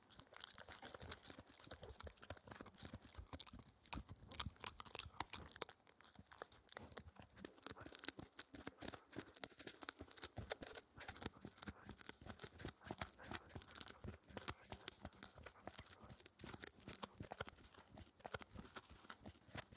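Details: Indoor recording of Spencer, a 4-month-old Shetland Sheepdog pup, tearing at an air-dried ear dental chew: a continuous rapid run of crunchy, ripping clicks with a brief quieter moment near the middle.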